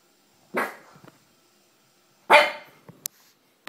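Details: Scared pug reacting to a horror movie indoors: two short, sharp barks about two seconds apart, with faint clicks and taps in between.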